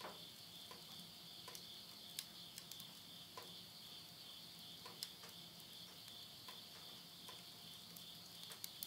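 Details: Unbroken high-pitched insect trilling on a late-summer midnight in rural Yurihama, Tottori, Japan, September 2020, overlaid by scattered snapping clicks of burning wood in a house stove.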